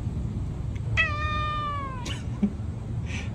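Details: White Norwegian Forest Cat giving what is described as a cute, encouraging voice: one drawn-out meow of about a second, starting high and sliding slowly downward in pitch, with a low steady hum behind it.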